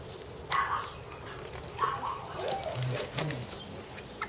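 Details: Border Collie puppies, sibling littermates, give brief, high, squeaky yips and whimpers amid clicks and shuffling.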